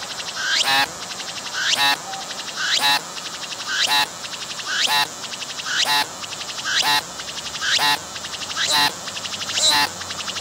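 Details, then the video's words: Cicada calling from a tree, approached closely without fleeing, captured with a 3D VR camera. About ten evenly spaced phrases over ten seconds: a rising whine bursts into a harsh, throbbing pulse, then a brief quieter gap. "鳴いているセミに接近して撮影してみた！I approached the cicadas that were singing and took a picture!"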